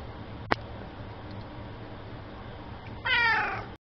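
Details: A friendly male cat awaiting adoption at a humane society, giving one clear meow near the end, harmonic and slightly falling, after a quiet room hum and a brief click early on.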